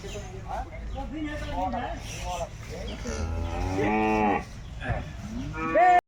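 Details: At a Jersey cattle wholesale market, a loud harmonic bellow rises near the middle amid overlapping calls of other cattle and market chatter, ending in a brief higher-pitched sound.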